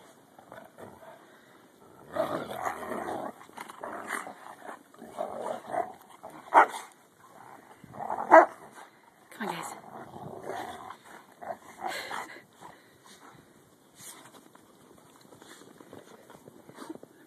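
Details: Dogs playing in the snow during a 2011 blizzard, recorded on an Android phone; broadband barks and growly yelps come in bursts, loudest around the middle, with a person's voice calling in between.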